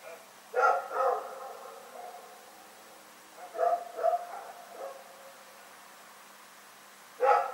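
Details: Rex the dog barks at night, recorded on February 27, 2018: a double bark, a pause, a cluster of three quicker barks mid-clip, silence, then one more bark at the very end.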